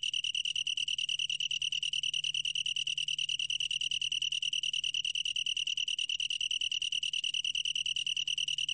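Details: A long-tailed tree cricket sings an unbroken, shrill, pulsing trill at a constant high pitch, taken from a 2020 Korean National Institute of Biological Resources recording. A faint low background hum is also present.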